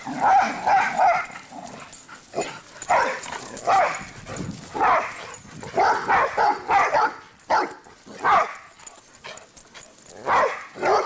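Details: Cinder and Zoe, two dogs romping and barking; irregular bursts of sharp, mid-pitched barks and yips, sometimes overlapping, continue throughout with short quiet gaps.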